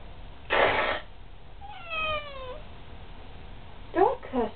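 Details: House cat in a back-and-forth exchange with its owner: a short burst of human voice, then a single falling meow lasting about a second, followed by more brief human speech.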